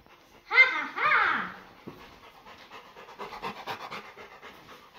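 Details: Labrador Retriever dog indoors, looking at someone hidden behind a curtain; two drawn-out whines that rise then fall, followed by quick, irregular panting and sniffing, with a person's voice nearby.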